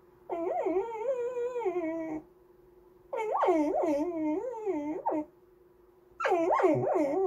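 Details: Sing-songy whining from a Goldendoodle called Andy wanting snacks or petting, three long bursts of undulating, warbling whines, each around two seconds, with short silences between, recorded in a small room.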